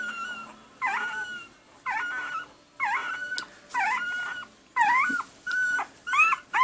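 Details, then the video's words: Week-old red and sable male Pembroke Welsh Corgi puppies whine in clear, high, wavering cries, roughly one per second, each with a quick rise and fall, separated by short quiet gaps. "Red/Sable Boy Corgi Puppies @ 1 Week Old"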